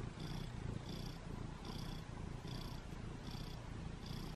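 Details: Domestic cat named Butters purring steadily indoors in the morning while wanting to be petted; low rumbling purr with breath cycles pulsing a little more than once a second, no other clear sounds.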